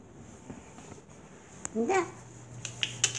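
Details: Six-week-old pug puppy Leo at his birthplace in New Brunswick, Canada, with his mother, father and siblings nearby: a brief squeaky, wavering whine near the middle, surrounded by scattered clicks and light tapping against a low indoor hum.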